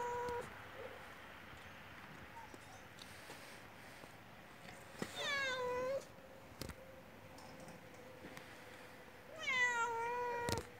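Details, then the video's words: Hungry stray cat with yellow fur calling for food by a house. Two long meows, each sliding downward, come several seconds apart over a quiet outdoor hum. "집 앞에 나타나 밥 달라고 야옹 거리는 길고양이 노랑이 - hungry stray cat meowing for food"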